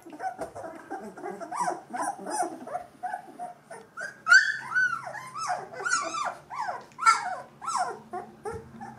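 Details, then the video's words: Two-week-old Gordon Setter puppies of a litter, eyes and ears newly open, whimpering and squeaking continuously in overlapping high, arching yelps and whines, with several pups calling at once and brief low grumbles. "Gordon Setter Welpen E-Wurf #03"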